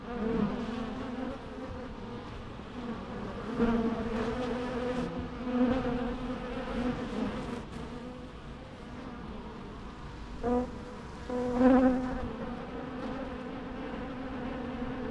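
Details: Bee swarm humming in a rich, layered drone, fluctuating gently in loudness, with occasional nearer buzzes swelling out of the background.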